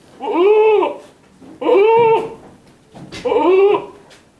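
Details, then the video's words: Three successive bleats from an Etawah goat, each nasal and wavering, rising then falling slightly, spaced roughly every one and a half seconds in a small indoor space. "KAMBING NYADIIL"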